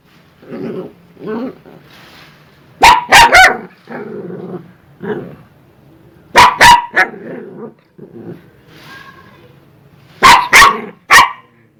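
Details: Angry dogs barking and growling: grumbling growls alternate with rapid clusters of three or four loud sharp barks, repeated several times.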